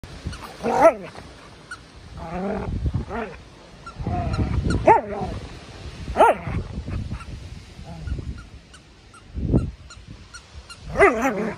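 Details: Norwegian Elkhound barking while wrestling in play with another dog on a Sunday; a few short, sharp harmonic barks spread through the clip amid lower growly scuffling and rough play noise.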